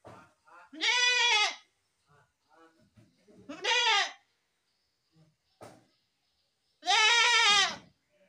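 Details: Goat giving three strong, quavering harmonic bleats spaced several seconds apart, with soft scattered rustles and faint voices between calls.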